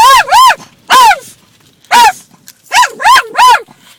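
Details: Lambert, a pet dog, barking at water hitting the car: seven short, yelping barks that rise and fall in pitch, in groups of two, one and three, with a person's voice urging him on.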